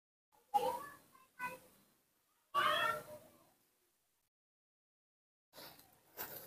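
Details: Hand-reared baby monkey calling when its father is not nearby: three short, bright, harmonic cries about a second apart, the third longer and wavering, then silence and brief rough noises near the end.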